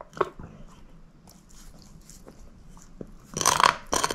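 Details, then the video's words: Female shepherd mix dog named Moose gnawing a bone: a crunch at the start, mostly soft faint chewing ticks, then a loud bright crackling burst of grinding at the end. "SHEPHERD EATING BONE ASMR"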